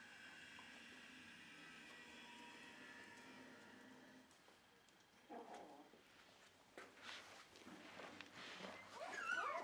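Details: Dog at a Shiba Inu and Samoyed breeder's home in the Netherlands, 4 November 2018, beside a freshly cleaned bed: a quiet indoor stretch, then a short harmonic whimper around five seconds, followed by thin high whines and soft rustling.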